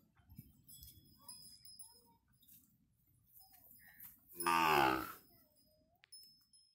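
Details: Punganur cattle, a white dwarf indigenous breed, cow and calf kept in a farm shelter: one loud, rich harmonic moo lasting under a second midway through, with faint chirps and quiet background rustling before and after.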